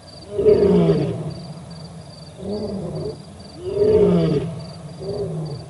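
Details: Olifants River live camera, 4 October 2020: a resting male lion and a second male nearby; two strong moaning roars about three seconds apart, each followed by softer grunts, with a continuous high insect whine behind.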